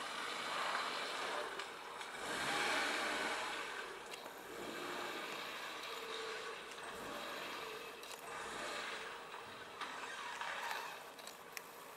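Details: Steady road traffic with passing vehicles and a faint murmur of voices; no animal calls stand out.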